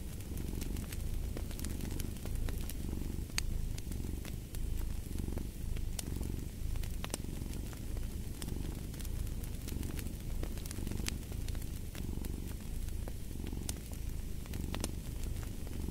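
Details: Relaxing fireside cat purr: a soft, throbbing low drone rising and falling with each inhale and exhale at an even, unhurried pace, accompanied by the dense crackle and popping of burning logs.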